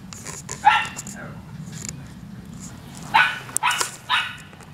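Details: Cairn Terrier puppy gives short, sharp yapping barks: one bark near the first second, then a quick run of three barks between three and four and a half seconds, over a low background hum.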